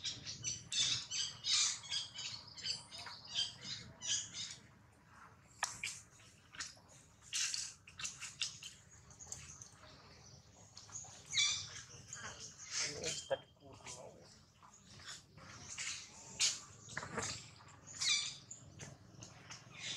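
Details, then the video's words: Jinx, a baby monkey, cries loudly after a hard bite from Jade, another monkey: sharp, piercing squeaks and short screeches come in clustered bursts, with brief pauses between runs of shrill, high cries. "Jade bites baby monkey so hard, Jinx is crying loudly"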